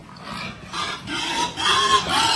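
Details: Berkshire x Pietrain crossbred gilt on a pig farm making a series of rough, raspy grunting squeals, three or four bursts that grow louder toward the end.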